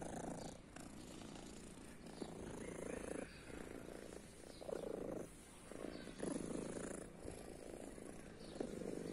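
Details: Purring from a female cat believed deaf, with a blue eye, living on a guarded private property: a soft, low rumbling purr in swelling bursts about every second, with a faint hiss in the background.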